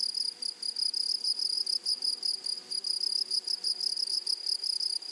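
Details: Grasshoppers in a flowery meadow or prairie: a high, shrill buzzing chorus pulsing in rapid bursts, about four per second, with a steady ringing tone and a fainter, higher overtone, against a quiet background.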